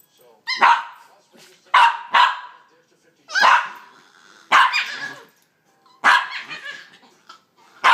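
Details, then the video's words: Two young dogs play fighting, trading loud, high-pitched yappy barks and squeals in separate bursts about every one to one and a half seconds, with short quiet gaps between. "Pups play fighting sound like monkeys!"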